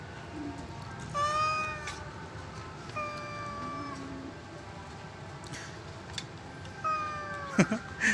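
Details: Domestic cat meowing repeatedly, three clear drawn-out meows spaced a couple of seconds apart, each slightly falling at the end, with a person talking softly and low background hum.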